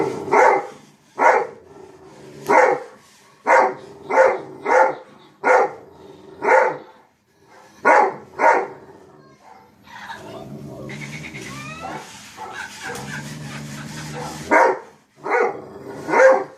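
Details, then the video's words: A dog barking at himself: a long series of sharp, evenly spaced barks about one every half second to second, a break filled with scraping and rustling, then a few more barks. "barking at self"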